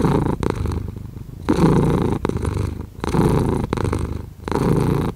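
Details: A cat purrs in long rumbling phrases, each breath-cycle lasting over a second, the deep vibration dipping briefly between strokes.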